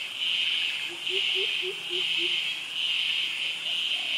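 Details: Cicadas and crickets in tropical jungle and mangrove forest in Krabi, Thailand. The male cicadas' mating song is a loud, high, buzzing hiss that swells and fades about once a second.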